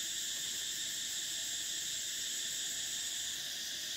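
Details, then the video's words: Summer cicada chorus: a steady, piercing high-pitched hum in several layers, the topmost band fading out near the end while the rest continues. "Cicadas: the sound of summer"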